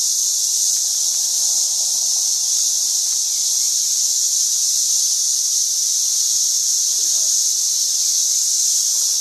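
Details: Countless cicadas swarming in St. Louis in 2011, a plague worsening daily, fill the air with one continuous shrill buzzing wall of sound that never wavers, plus soft faint background murmur.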